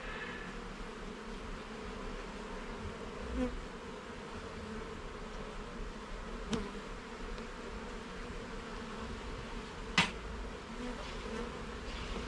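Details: Honey bee colony buzzing as the hive's frames are inspected in a garden; a low continuous hum broken by several sharp knocks from frame handling.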